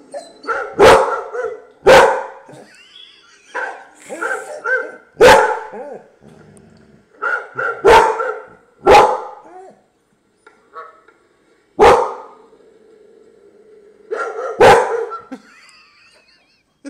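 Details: Pet dog barking at a computer with loud separate barks spaced a second or more apart, mixed with howling whines and grumbles between, and a person talking softly.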